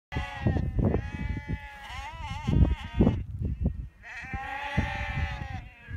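A sheep gives long, wavering bleats with a quavering, nasal tone, separated by short pauses.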